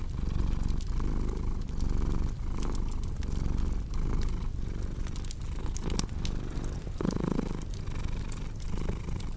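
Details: Low, vibrating cat purr rising and falling in even breath cycles roughly every one and a half seconds, accompanied by the scattered crackling and snapping of a wood fire.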